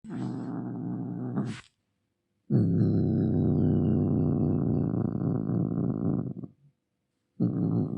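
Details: Angry domestic cat growling: a short low rumbling growl, a pause, then a long sustained throaty growl lasting about four seconds, and the start of another after a gap.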